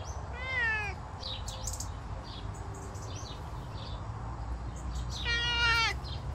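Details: Savannah cat out on a summer walk, meowing twice: one clear, slightly falling cry at the start and another strong, ringing meow about five seconds later. Scattered bird chirps and a low, constant outdoor hum fill the gap between them.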